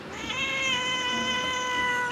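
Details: Indoor domestic cat during a fight between two cats, a sustained harmonic meow held steady for about two seconds, slightly wavering, in a quiet room.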